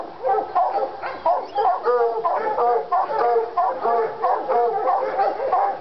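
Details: Treeing Walker Coonhounds Lady and Cooper in North Carolina, fired up on a coon skin; two dogs bawl and bark in overlapping bursts, harmonic howls around mid pitch repeating roughly every second or so, calls layered almost continuously.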